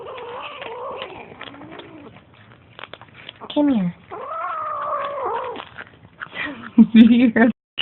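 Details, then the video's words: Kittens growling at each other while feeding: drawn-out, wavering tonal growls that rise and fall over several seconds, with short breaks, a few sharper yowls near the end, and a person talking. "Kittens growling during feeding"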